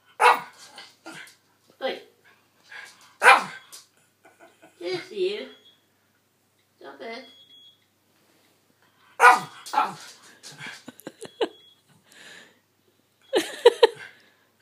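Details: Jessie, a 12-year-old Miniature Schnauzer, barks indoors at George, a 3-year-old dog sleeping in a spot she wants, an old-age habit; sharp bursts come in clusters with long quiet gaps, a few per burst, in a small room.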